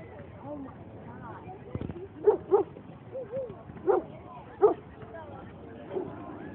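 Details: Boston Terrier at a dog run on 5/22/2011, giving a handful of short, sharp barks spaced about a second apart amid people talking and general outdoor chatter.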